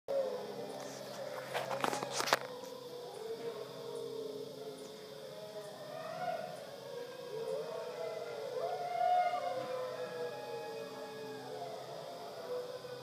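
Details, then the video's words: A dingo at Wirrimbirra Sanctuary, Tahmoor, New South Wales, Australia, gives long, wavering howls that rise and fall, with a few sharp clicks early on. "Dingo Howl"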